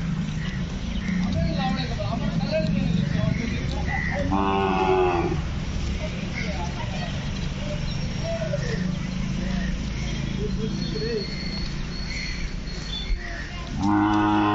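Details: Aggressive black Hallikar bull from Kelamangalam, running loose in a field being readied for jallikattu; two short harmonic moos, one near five seconds and another at the close, over a steady engine rumble and men's voices.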